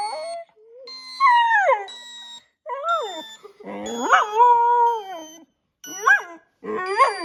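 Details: Border Collie aged six months reacting to a sound that triggers dogs: short wavering howls and whiny, rising yips in uneven bursts with silent gaps, faint constant high beeping tones behind.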